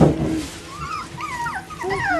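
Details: A litter of Bichon Frisé puppies at a Vejle kennel whines in a string of thin, wavering squeaks. The pitch bends up and down, with a soft thump at the start and steady background hum.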